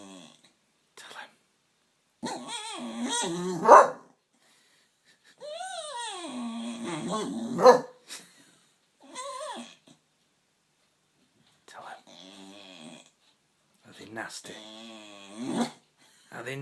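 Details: Staffordshire Bull Terrier bitch sitting on a man's knee, making funny noises at workmen on a field whom she cannot see; drawn-out moaning, rising and falling grumbles in bursts with pauses, some growly, a person speaking briefly.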